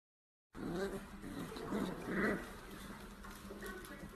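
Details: A corgi gives soft, wavering whimpers and low whines, rising and falling over a few seconds with one brighter, higher yelp near the middle, against a steady hiss of background noise.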